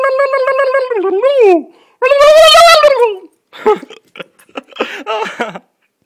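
A Siberian Husky howls in long, tuneful notes that waver and bend in pitch, one dipping low at its end. Shorter broken yelps and grumbling bursts follow, like the dog talking back.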